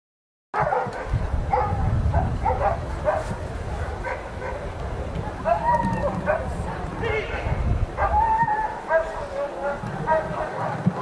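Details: Ivar vom Falorie, a dog doing protection work at the NIAK 2015 dog sport trial, barks in rapid repeated bursts over steady announcer speech and a low crowd rumble.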